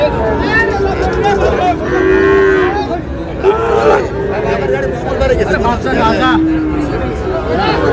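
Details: Sahiwal bull calves on sale at a market on 24 July, headed for a Chittagong farmer: several separate moos, some long and level, others short and rising, with constant human chatter in the background.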